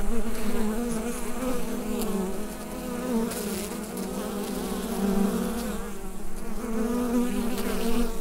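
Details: Hive full of bees, captured on a Rode NT-USB microphone. A thick, continuous droning hum with shimmering, slightly pulsing upper tones holds steady throughout, with no other sounds.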